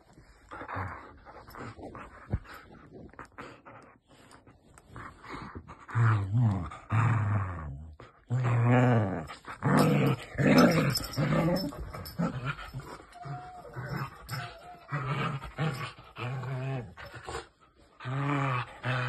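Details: Whippet voicing a run of grumbling growls and whiny, wavering moans, loud uneven bursts rising and falling in pitch over the whole stretch, with brief quiet gaps between.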